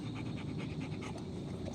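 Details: Rottweiler panting quickly as evening grows too dark, with fast, even breathy pulses repeating several times a second above a constant low hum.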